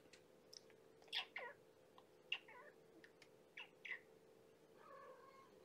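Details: Starving little kitten girl, one of five Infinity Kittens born April 14, calling indoors during bedtime feeding on 2018-05-04; several thin, high-pitched squeaky mews in quick bursts, with light clicks and a softer mew at the end.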